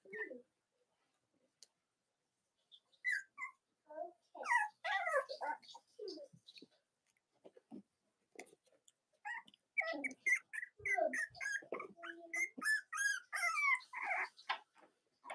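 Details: A litter of Cavalier King Charles Spaniel puppies, Robin and Myra's pups, indoors in the US on a chilly Monday morning; a busy stretch of overlapping squeaks, yelps and whimpers from several pups, building into near-continuous chatter in the second half.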